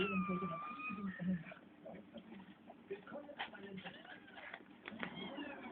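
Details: Domestic cats, March kittens with their mother Pebbles and father Balu: a drawn-out, steady harmonic meow opens, and a shorter curving call comes near the end, over German speech and a television playing in the background.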